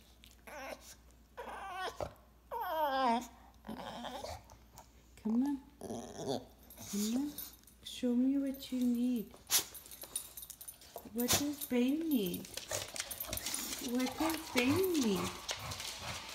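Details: English Bulldog pouting indoors to get his owner to play with his favourite toy: high nasal whines rise and fall, some drawn-out and wavering, mixed with low grumbles, while a woman talks to him.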